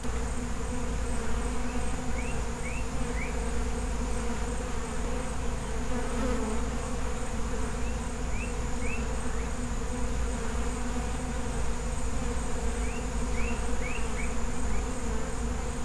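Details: Feral honey bee colony buzzing: a dense, steady, low droning hum that never breaks, with small groups of short rising chirps from a bird at intervals.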